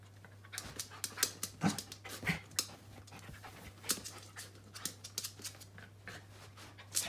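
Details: Corgi puppy busy with a watermelon indoors, giving quick, breathy panting mixed with wet smacking and licking clicks, dense bursts through the whole stretch, with a steady low hum behind.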